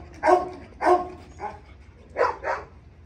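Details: Pet German Shepherd on leash during obedience work gives short, sharp barks, two spaced single barks followed by a quick pair, over a low steady hum.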